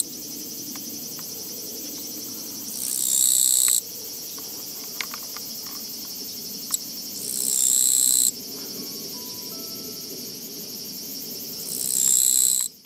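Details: Japanese katydid along a walking path, 24 August 2017, producing three loud, scratchy buzzes about every four to five seconds over a continuous high insect whine and a low background rumble.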